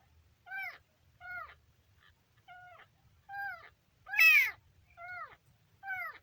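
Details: Young kitten on day three, calling with a steady series of short, thin meows, each arching up then down, about eight in six seconds, one louder and harsher near the middle.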